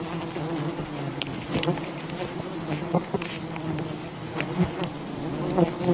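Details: Honey hunting at a wild bee colony: the swarm's even, low buzzing fills the scene, interrupted by repeated small knocks and clicks, with a quiet high-pitched tone running throughout.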